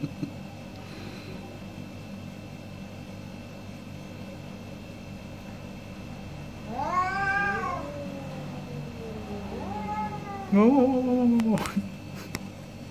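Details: Two orange cats trade meows in a morning debate: a long drawn-out harmonic meow that rises and then falls, a pause, then a second wavering meow ending in a sharp, louder cry, over a low steady hum.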